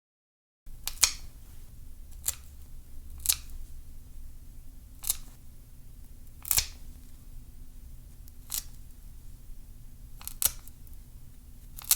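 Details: Sharp, isolated snipping clicks of nail clippers sound every one to two seconds over a quiet indoor hum, with no animal voice heard.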